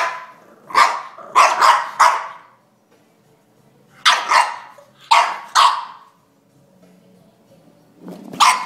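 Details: An angry French Bulldog fights with a drink shaker, letting out bursts of two or three sharp barks separated by short quiet gaps.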